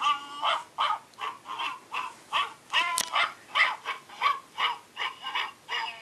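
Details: Several Australian Shepherd puppies yelping in a steady chorus of short, high, squeaky whines, roughly two or three a second, with one sharp upward-sweeping squeal near the middle.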